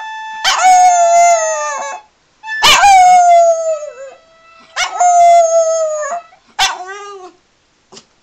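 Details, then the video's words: Jack Russell Terrier singing with a penny whistle tune, "Dirty Old Town": four sustained, quavering howls, each starting with a sharp yelp and then gliding down, separated by short pauses. "Pip the Jack Russell sings along to Penny Whistle"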